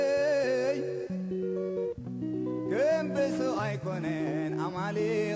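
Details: Acoustic guitar music with a singing voice, strummed and plucked notes throughout, and no animal sounds.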